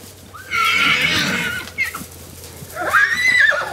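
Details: Bachelor stallions of a wild Arizona band challenging other stallions: two loud, shrill whinnies, the first broad and quavering, the second arching up and then falling, separated by a short pause with soft snorting sounds.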